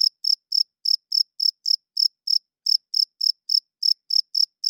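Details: High, crisp chirps from a male cricket at night, a wing-rubbed signal to attract females and hold territory, coming about three or four times a second in slightly uneven spacing over a quiet background.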